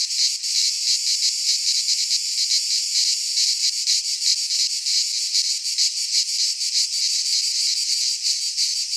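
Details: In a Greek pine forest at midsummer, many cicadas sing together: a relentless, high, grating hiss with flickering pulses, barely varying in loudness, a faint low rumble appearing near the end.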